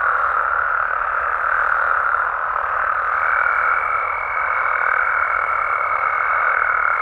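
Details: Frogs and toads calling at night in their natural habitat in Mexico: a dense, unbroken croaking chorus fills the air. Partway through, a thin steady whine joins above it and holds to the end.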